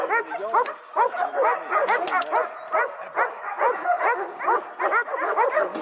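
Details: Continuous yappy barking from dogs, short arched barks piling on top of one another at a fast, uneven pace.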